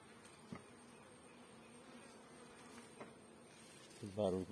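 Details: Western honey bee (drone). Many honey bee drones fill the air with a continuous low, even hum that holds steady throughout. A person's voice breaks in briefly near the end.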